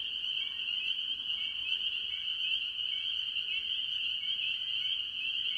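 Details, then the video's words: From a farm pond in early year, a massed chorus of spring peepers and other tree frogs: sharp high peeps merge into a steady shrill drone, with brief dipping notes and faint lower buzzes. "Relaxing Tree Frog Sounds - Spring Peepers"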